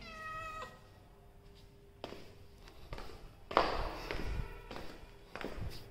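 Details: A pet Persian cat gives one short, clear meow at the start, then shuffling, knocks and handling noises follow with faint background music.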